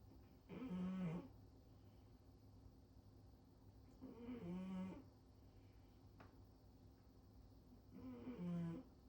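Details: Female cat Rincharo asleep belly-up on top of a fridge, snoring loudly indoors: three rough, buzzy snores, each about a second long with a low droning pitch, spaced roughly four seconds apart in a quiet room.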